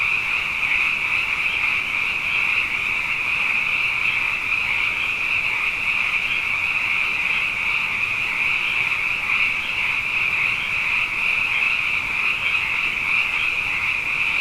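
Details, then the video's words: Abundant frogs calling at night after two wet years in a row: a dense, unbroken chorus of high trilling calls that merge into a steady shimmering band, with a softer lower layer of overlapping croaks beneath. "Frog Songs: Na Mele o nā Paloka"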